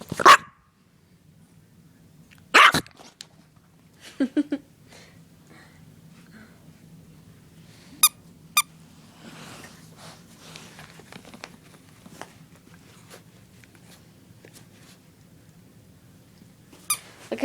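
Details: A frightened female puppy indoors, scared of a running hair dryer, lets out a few sharp, isolated barks and yips separated by long quiet gaps, over a steady low hum.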